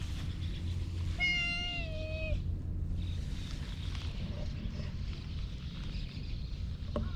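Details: A slim brown-and-white cat filmed on a GoPro HERO8 gives a single clear meow of about one second, holding level, then dipping slightly at the end. A low rumbling hum runs throughout, and faint rustles follow.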